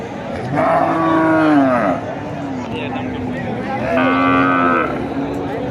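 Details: Cattle at the Kuchiya Mara cattle and goat market, 26 May 2026: two drawn-out, harmonic moos, the first about a second long and the second shorter, heard over a steady murmur of market crowd noise.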